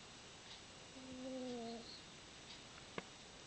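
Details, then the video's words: A single drawn-out whistled snore, level in pitch and lasting under a second, from Izzie, a fat house cat asleep in a room, followed by a sharp click. "Izzie snores"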